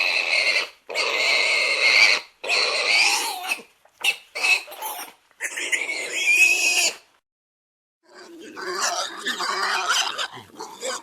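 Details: Domestic pig letting out strident squeals, long screams mixed with short choppy bursts, a full second of silence, then a rougher, noisier squealing outburst.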